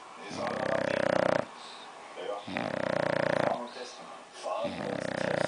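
An English Bulldog snores loudly, with rattling, buzzy breaths about every two seconds.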